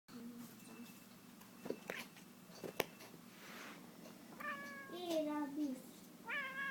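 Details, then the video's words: Domestic cat chasing a laser pointer, making odd noises: a few soft clicks and taps, then short harmonic chirping calls with bending, wavering pitch, one slurring downward, followed by a brief rising chirp near the end. "Cat making wierd noises"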